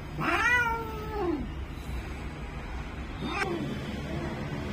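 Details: A Bengal cat in full heat gives one long, loud, strained meow that slides down at the end, then a brief fainter cry a few seconds later, over a steady low hum.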